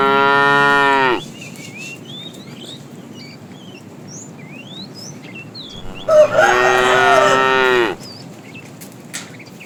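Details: Morning herding of cows and calves looking for food; two mooing calls about six seconds apart, the first level and tonal, the second wavering and raspier, between them bright whistled bird chirps.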